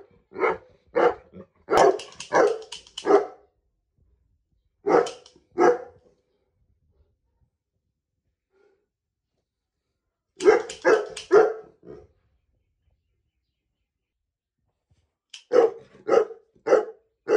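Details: Pet Saint Bernard named Riley barking each time a toy gun is fired at him, in a small indoor room; clustered bursts of sharp barks separated by long silences, groups of three to seven barks.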